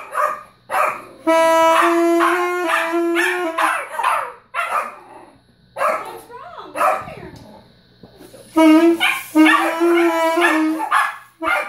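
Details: Pet Yorkshire Terrier joining in with a child's saxophone playing, giving wavering, rising and falling howls and yips between and over long held saxophone tones; short bursts of speech in the gaps.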